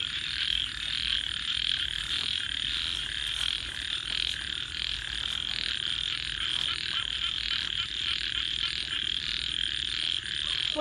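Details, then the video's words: Continuous night chorus of frogs, a high, even trilling wash with regular soft pulses and a few faint clicks scattered through. "and frogs 🐸 Sounds"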